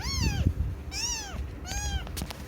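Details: House cat meowing three times, each call a clear harmonic cry that rises and then falls, spaced about a second apart, with a brief click near the end and low background hum.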